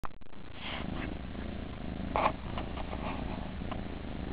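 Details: Kittens in a nursery purring, a low steady rumbling drone with a brief soft rustle partway through, recorded indoors at close range.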